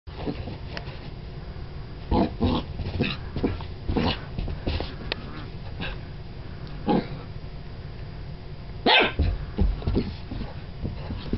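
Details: A Golden Retriever puppy, excited by his new brush and wagging his tail, gives short, sharp barks in scattered bursts with some growly, whimpering notes between them.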